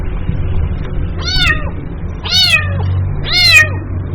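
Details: Kitten calling its mother with three loud, strained meows at roughly one-second intervals, each rising then dropping, the last two longest; low background hum between cries.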